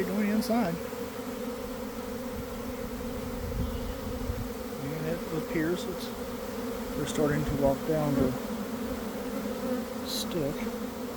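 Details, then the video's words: Honey bee swarm taking flight from a hive around one in the afternoon after a cold, damp week, recorded from inside the swarm: a dense, steady humming drone with individual bees' pitch-bending buzzes passing close, plus a faint voice. "Catching a Swarm in Real Time!"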